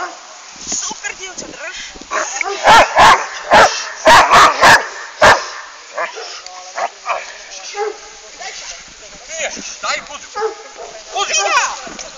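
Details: Hovawart bitch Jamaica Kralovska straz, bred from Cortina Kralovska straz and Csandro von Wackerbarth, gives a tight burst of about seven sharp, loud barks midway through, amid ongoing human speech and praise.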